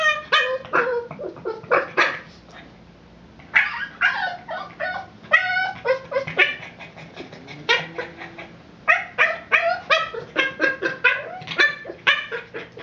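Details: Boston Terrier obsessed with his ball and frustrated it rolled out of reach; bursts of shrill yips and whimpers separated by a short quiet pause, with faint speech-like sound in the background.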